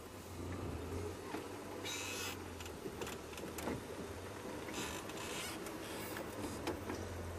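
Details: A steady low engine hum runs throughout, with scattered clicks and rustling bursts but no clear animal voice.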